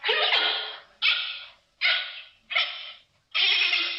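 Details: Giant panda calling: five harsh, bleating bursts, each about half a second to a second long, repeated roughly once a second with short silent gaps between them.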